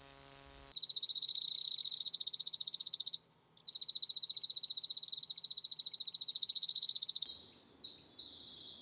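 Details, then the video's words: Katydid in Korea producing a piercing high-pitched song hard for human ears to bear: rapid regular buzzing pulses in a dense high band, briefly interrupted by a short silence, ending with other high chirps. "여치 배짱이는 인간의 귀가 감당하기 힘든 고음을 냅니다."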